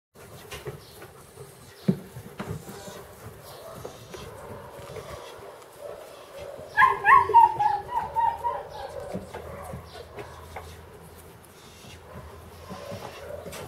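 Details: Dog at play; mostly soft scuffling and faint thumps, then a roughly two-second burst of excited, tonal whining and yelping in the middle, settling back into low rustling.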